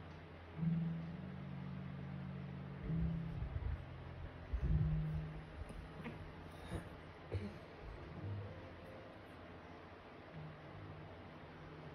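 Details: Low, steady humming tones like soft music over a faint background hiss, with no animal voice. A few soft knocks and rustles follow, and nothing is clearly an animal.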